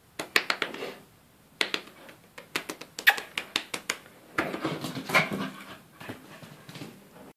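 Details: Schipperke indoors, breathing in quick, rhythmic breathy pulses several times a second, the bursts growing denser and louder toward the middle before easing off.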